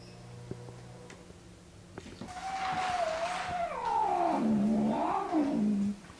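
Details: Domestic cats Pepi, the resident, and newly adopted Jazzy meeting face to face for the first time after two weeks of scent introduction; a drawn-out wavering yowl starting near 700 and sliding down to a low growling moan, rising again before ending.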